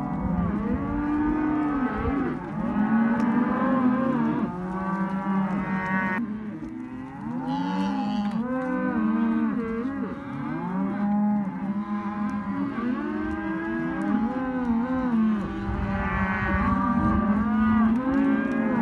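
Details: Hereford and white-faced calves held together in a sale lot, many overlapping moos and bawls, rising and falling wavering tones calling almost continuously, several animals at once, loud and close.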